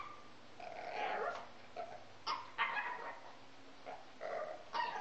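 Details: A male Pekingese gives sharp, yappy barks mixed with growly grumbles at irregular intervals during a problem behaviour the owners call his "yoga", which he does very early every morning and most evenings.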